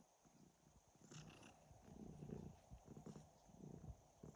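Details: Domestic cat purring and snoring: low, rough pulsing rumble in steady breaths, each swelling and fading over about a second, quiet and close, with a faint steady hiss behind.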